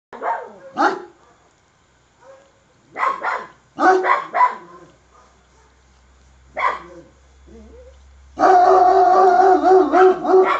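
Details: Kangal dog, described as bad-tempered and very angry again, barking aggressively in deep, harsh bursts, some doubled, separated by pauses. The clip ends in a long, loud, rough continuous outburst.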